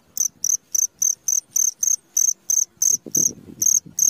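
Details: Cricket calling in the middle of the night, a rapid series of shrill, high chirps about three per second, with soft low knocking sounds beneath the later chirps.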